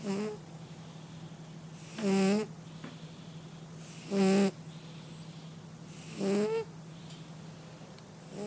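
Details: A male cat asleep and snoring in steady rhythm: four loud, grating breaths with ringing overtones, spaced roughly two seconds apart, the last rising slightly in pitch, with a low background hum throughout.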